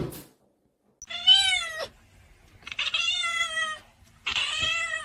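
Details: Kitten meowing indoors: three long, clear, slightly wavering meows spaced a couple of seconds apart, each level in pitch and ending abruptly, with a short rustle at the start.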